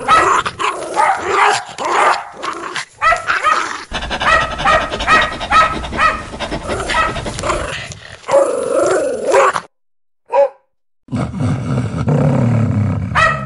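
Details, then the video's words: Aggressive house dog guarding its owner, barking loud and hard: dense, fast volleys of rough barks, some overlapping, a wavering whine near the end, a short pause, one sharp yip, then low rumbling noise. "Tiếng Chó Sủa gâu gâu, Con Chó Hung Dữ Sủa gâu gâu To Và Lớn, Chó Nhà Sủa Bảo Vệ Chủ"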